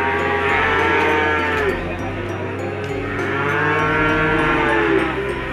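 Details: Ongole crossbred feeder cattle, two years old and sold for fattening, give long, rich moos. A full bellow fills the first half and a second one rises past the middle, both layered over continuous background music.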